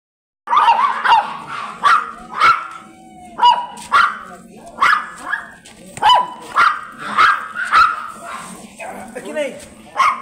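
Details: Blue Miniature Pinscher stud dog at Manaoag, Pangasinan, giving a steady run of sharp, high yapping barks about twice a second, each bright and clipped, with a low hum beneath.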